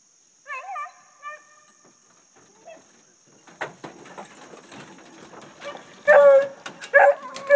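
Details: Dogs on a deer hunt, chasing deer: a few faint distant bays, then rustling and brush noise, ending in two loud, close, drawn-out bays.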